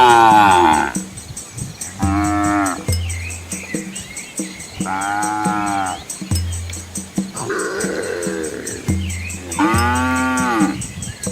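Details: Asian village cows with their calves walk along a quiet rural road among green rice fields. About five drawn-out, harmonic moos come every two to three seconds, some rising then falling, over a steady low droning hum and faint high ticking.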